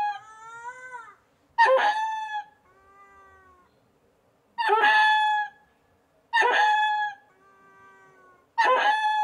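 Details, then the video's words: Loud ring-tailed lemur growls: about four bright, strained harmonic wails, each under a second, alternate with softer, drawn-out descending tones, against total silence. "Ring-Tailed Lemur Monkey: Growls Loud"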